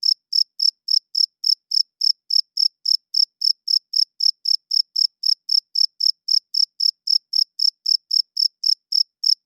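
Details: Night-time cricket song: rapid, high-pitched chirps, nearly four per second, strikingly regular and loud throughout, a male rubbing its wings together to call females and mark territory; no background noise.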